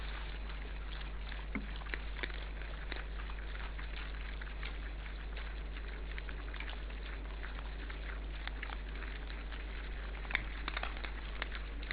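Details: Winter evening at a wild boar feeding place in an Estonian forest, with low steady hum and faint scattered clicks and patter, no clear animal calls.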